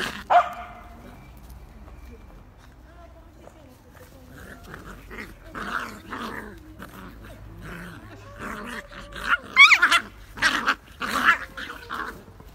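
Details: Pair of Beagle puppies at play: quiet stretch of soft growling, then a lively run of short yappy barks and snarling growls in clustered bursts near the end, with scuffling and a little background noise.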